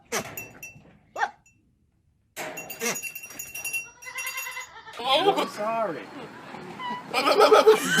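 A goat bleats in quavering, nasal cries that wobble up and down in pitch. People talk and laugh around the calls, and there is a brief clatter near the end.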